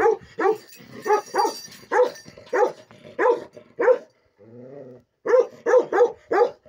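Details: Bakarwal dog of pure line, lion-head type, giving deep harmonic barks in quick irregular bursts of two or three, with a short low droning pause midway before the barking resumes.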